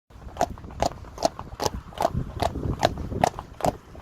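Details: Friesian horses, a herd with their foals, walking on a road: sharp, evenly spaced hoof clicks, about two per second, over a low rumble of background noise.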